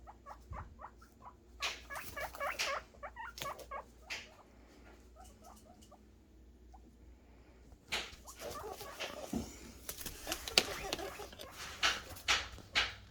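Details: Guinea pig boars making happy noises while anticipating food: a run of short harmonic squeaks repeated rapidly for about four seconds, then rustling and clattering bursts mixed with further squeals.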